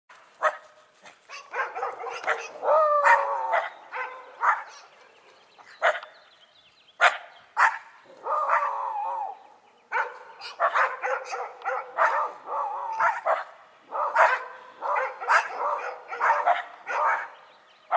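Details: Several dogs, a Shiba Inu and a Schipperke, bark and yap together in a lively exchange, sharp overlapping barks in irregular bursts with brief quiet gaps and some whining, yelping calls between.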